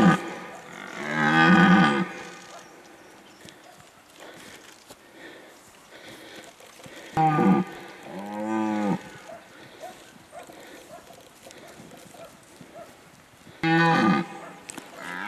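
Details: A red deer stag rutting in the 2019 breeding season gives deep, drawn-out roars, a few seconds apart.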